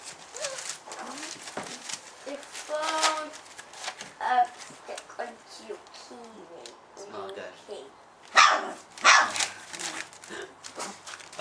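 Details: A 4-week-old female Golden Retriever puppy, the vocal one of her litter, gives a few thin, high-pitched yips and squeaky barks while people talk; her brothers are asleep nearby.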